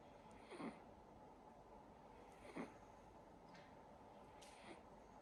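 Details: Sacha, a silver Siberian Forest kitten, snoring while asleep; soft, breathy snores recur roughly every two seconds, four in all, against a faint steady room hiss.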